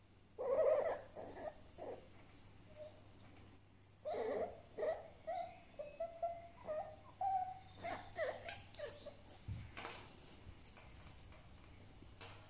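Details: A grumpy, angry fennec fox makes a series of irritable, whining squeals and grumbles, each burst brief and rising, about every half second; a faint high chirping sounds briefly near the start.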